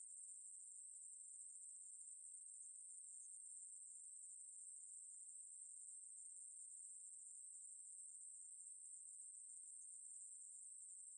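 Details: Steady, shrill continuous buzz of a Ruspolia katydid, from a 2020 national biological resources institute recording, holding the same high pitch and even loudness from start to finish.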